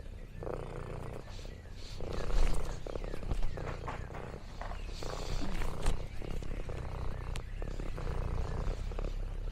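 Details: Contented purring from Lexi, an orange tabby exploring farm countryside: a continuous low rumble rising and falling in breath-length pulses, mixed with rustles, crinkles and a few sharper clicks.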